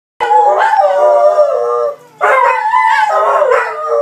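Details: Two Belgian Malinois twins howling indoors when their owners go out, recorded on an iPhone; two long, wavering, harmonic-rich howls, the first about 1.7 seconds, then a short pause before the second rises and falls.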